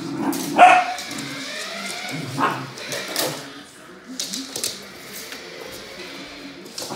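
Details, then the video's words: Samoyed dog at play with a remote-control car lets out one sharp bark, followed by a few softer yelps and rustling, with faint background voices and hum. "Самоедская собака и машинка на управлении"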